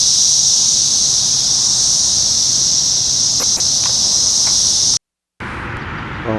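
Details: Brood X 17-year periodical cicadas during the 2021 emergence, singing after dark on a June 4 evening in a McDonald's parking lot in Sharonville, Ohio; a dense, steady, high-pitched buzzing drone runs unbroken, then cuts out briefly near the end.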